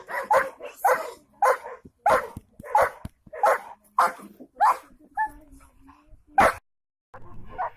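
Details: German Shepherd dog named Juki Bolský kopec barking in a steady series of loud, harsh barks, about one and a half per second, broad-toned and mid-pitched, with a brief pause before a final bark and a softer yip at the end.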